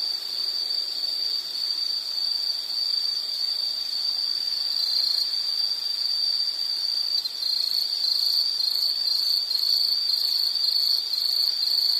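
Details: Steady insect chorus recorded as a soothing nature sound for sleep or study: a sustained piercing trill on one pitch, growing slightly more pulsed toward the end, with faint higher tones above.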